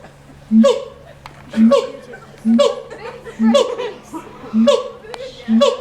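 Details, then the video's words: Caged monkey at the LA Zoo giving a repeated call roughly once a second: each starts as a short low note, then jumps to a higher, harsh burst, six calls in a steady series. "monkey making funny sounds"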